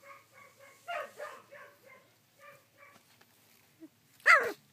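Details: Sixteen-day-old collie puppies recorded 3 June 2013: short, clear, evenly pitched whines repeated several times a second in small clusters, ending with one loud sharp yelp.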